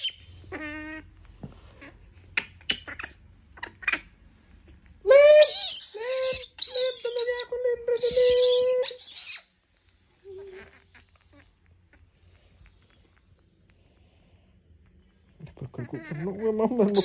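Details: Disturbed monkey screaming: scattered squeaks give way to loud harsh shrieks and sustained harmonic squeals for about four seconds, followed by quiet, then a rising noisy sound at the end.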